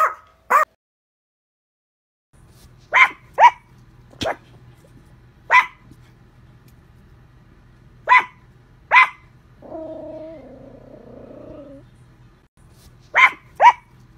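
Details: Yorkshire Terrier barking in sparse, sharp single and paired yaps spread over several seconds, with a brief tonal whine in the middle and a faint low hum throughout.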